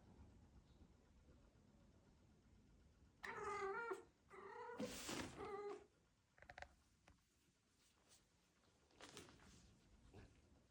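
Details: Domestic cat wanting to play and refusing to take no, giving a funny angry sound: two loud harmonic meow-growls around three to six seconds, then quieter scattered clicks and soft noises in a quiet room.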